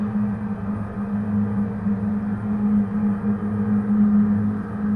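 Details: A steady low humming drone with droning ambient music and no animal sounds.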